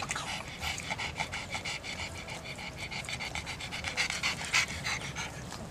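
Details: A pug panting rapidly: quick, airy huffs about three per second, steady and fairly regular, over a faint low rumble.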